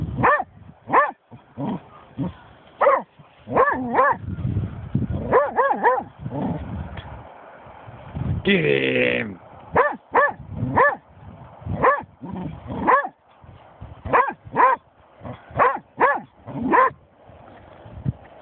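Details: Snoop, a German Shorthaired Pointer, barks repeatedly at a dead seagull, a long run of sharp, ringing barks, sometimes doubled, with a brief noisy burst midway and a human voice at times.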